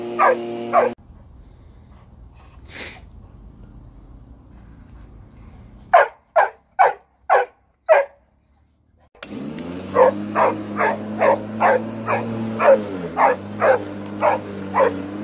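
A boxer dog barks in sharp, repeated bursts over the steady drone of a lawn mower.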